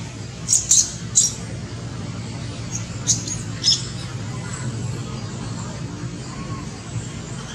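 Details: Baby monkey Lori, hungry and crying to ask for milk that Amari refuses: sharp, very high-pitched squeaks in quick bursts, about five within four seconds, then quieter, over a steady low rumbling background hum.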